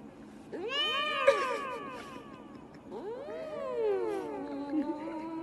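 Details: Domestic cat meowing into a microphone: two long, drawn-out harmonic meows, the first rising then falling, the second a longer wavering wail that slides downward and trails off.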